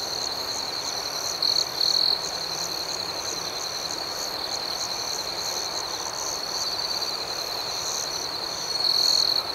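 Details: Nighttime cricket chorus, continuous high-pitched trill layered with rhythmic pulsing chirps; two short louder bursts early and a stronger stretch near the close.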